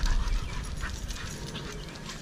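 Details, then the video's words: Dogs playing, heavy rhythmic panting with low rumbling thumps and scuffling throughout, no clear barks. "Doggos playing"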